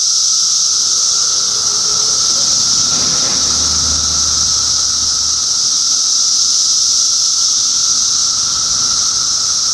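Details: Cicadas in a dense chorus in Middlesex County, New Jersey, in June 2013; a steady, unbroken high-pitched droning hiss holds throughout, with a fainter continuous tone beneath and a brief low rumble near the middle.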